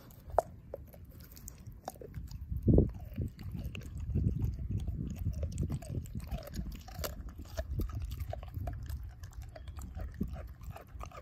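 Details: Ozzie the dog chews through a pork steak and breaks up the bone, a steady stream of low, wet chomping with a loud crunch near the third second and constant smaller clicks and smacks.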